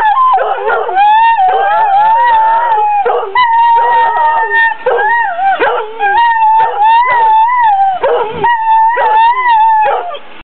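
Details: Two greyhounds howling together, sustained wavering howls with overlapping voices, one steady high tone rising and falling slightly while the other breaks into yips and shorter cries throughout.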